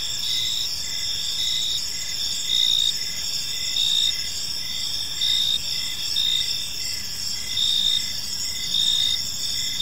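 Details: Several crickets chirp in a peaceful evening park: piercing, steady high trills, with rhythmic louder pulses a little under once a second and a calm background with little else heard.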